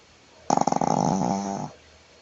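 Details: Jade, a female Shih Tzu pet, snoring loudly while sleeping on her back indoors: one rattling snore of about a second, opening with rapid fluttering pulses and settling into a smoother, steady droning tone in a quiet room.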